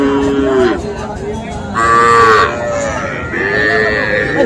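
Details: Several moos from small Sahiwal bulls and heifer calves at a Cumilla cattle market in Bangladesh, 13 September: a low bellow, a higher strained moo at mid-clip, then another drawn-out call amid crowd noise.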